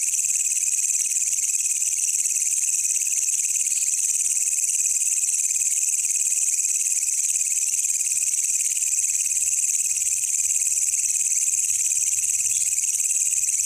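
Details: Katydid (walang kecek) caught wild on a night outing, kept for teaching songbirds; a steady, piercing, high electric-sounding trill continuing without pause for the whole stretch, no other animals or voices.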